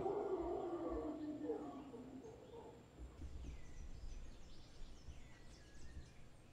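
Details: A large troop of howler monkeys in a tree in front of a property in Guanacaste gives deep, rough roaring that is strong for the first two seconds, then fades into a low rumble with faint chirps in the background.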